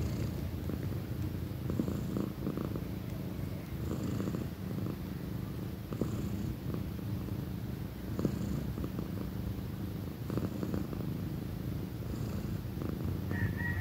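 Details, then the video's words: Pequeña, a female cat nearly one year old, purring loudly: a steady low rumbling throb runs unbroken through the whole stretch, with soft pulses every couple of seconds and a brief thin tone near the end. "loud kitty purrs"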